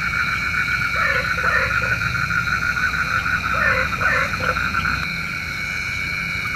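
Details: Frogs at night, said to summon rain; two bursts of rapid short croaks, several in quick succession each, set against a steady high buzzing chorus that drops slightly near the end.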